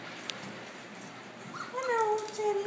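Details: Welsh Terrier puppies, seven weeks old, indoors among a litter of nine: after soft background noise, a drawn-out tonal whine falls gently in pitch and holds steady over the final second, with a woman's cooing voice nearby.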